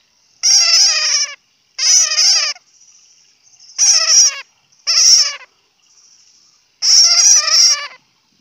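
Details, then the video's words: Bat giving harsh, buzzy, chattering squeals in five bursts of about a second each, separated by short silences, with a faint thin high tone lingering between some bursts. "Bat sound ( suab puav quaj)"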